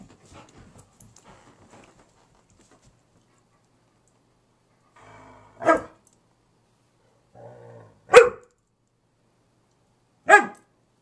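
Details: Gracie, an 11-year-old husky mix, barks at nothing. Faint shuffling gives way to three sharp barks about two and a half seconds apart, each preceded by a brief, quiet growling rumble.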